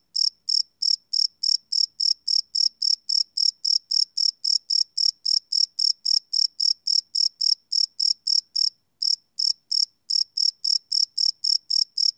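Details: Crickets chirping after dark, field-recorded live without loops on a Sony PCM D100: a rapid, regular stream of high, bright pulses, about four a second, broken by a single short pause near nine seconds.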